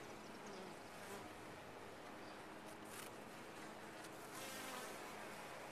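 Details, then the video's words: Honey bees buzzing within a top-bar hive, an even, dense hum with a low drone line, growing slightly louder near the end. "Bees in a topbar hive"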